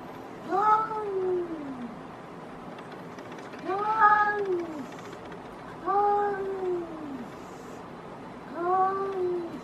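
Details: Outdoor cats in a fight: four drawn-out, wavering yowls, each rising then sagging in pitch and lasting about a second and a half, spaced roughly two seconds apart over a quiet background.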